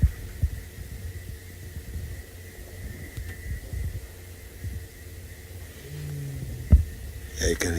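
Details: One of the Avoca male lions roars in deep, throbbing grunts to his brother, who approaches from behind, far apart, near Buffalo's Hook Dam on 28 Dec 2018, over a low engine hum from vehicles at the sighting.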